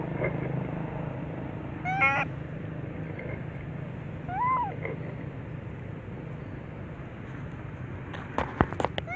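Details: Little baby monkey crying loudly as its mental defect improves: two separate wailing cries, the first a sharp rising squeal, the second a softer up-and-down whine, over low rumbling background with scattered clicks near the end.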